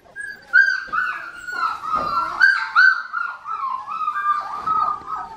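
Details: Blue merle female Australian Shepherd puppy, four weeks old, filmed in Oklahoma on November 15, 2019; a drawn-out high whining whimper, wavering and dipping in pitch, with brief louder peaks, indoors.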